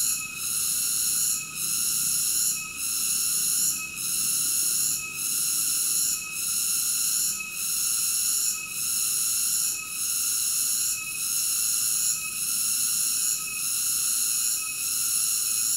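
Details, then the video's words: Cicada song as a loud, sustained metallic buzz. Brief regular dips in volume come about every 1.2 seconds, forming an even throbbing rhythm, with no other sounds. "Cicada ASMR Sleep Nature Sounds"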